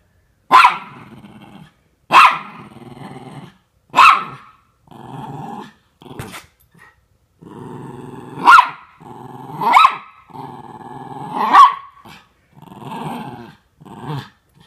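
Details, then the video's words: Norfolk Terriers named Otto and Ernie wrestling at play while the other dogs keep Ernie under control; sharp barks at about two-second intervals alternate with low rumbling growls between them. "Norfolk Terriers Keeping Ernie Under Control"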